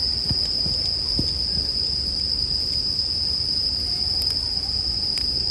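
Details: Bell crickets singing, blended with a crackling campfire as a sleep ambience: a steady high ringing tone runs throughout, with sharp fire pops near the start and toward the end over a low rumble.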